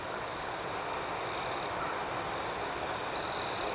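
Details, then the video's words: Crickets at night: a steady, high shrill band overlaid with a faster pulsing chirp above it. A single louder, closer trill comes in for the final half second. "Soothing Cricket Sounds"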